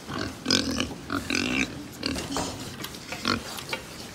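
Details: Pigs on a farm in Japan, heard in short harmonic grunts and squeals that come in irregular bursts of about half a second each, with a louder, higher squeal near the middle.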